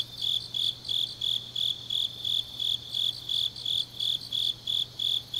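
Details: In Changnyeong, South Gyeongsang, grass insects sing through a deep autumn night: sharp, high, evenly timed chirps roughly three each second, with a faint steady hum underneath.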